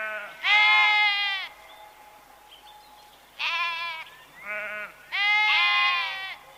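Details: Farm herbivore from a set naming sheep, goat and ram: four loud, nasal, quavering bleats, each about a second long and rich in overtones, separated by quiet gaps, with a softer short bleat between them.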